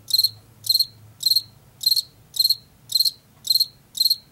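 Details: Field cricket from Washington giving eight short, shrill chirps in about four seconds, each made of three or four rapid pulses, with quiet low background noise.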